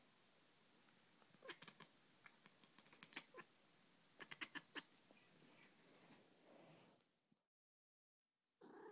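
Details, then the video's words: Female cat watching a laser dot, making a dolphin-like sound: bursts of sharp clicky chirps with thin high squeaks, clustered irregularly, then a brief dropout and a low rumble at the end. "Cat that sounds like a dolphin"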